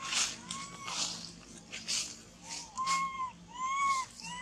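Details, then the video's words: Crying baby monkey separated from its mother, clinging to a tree with a shaking body; drawn-out arching whines repeat about once a second, louder and clearer toward the end, over bursts of rustling noise. "Terrible Cry ! Baby Monkey Cry Shacking Body Hug The Tree Lost Mom"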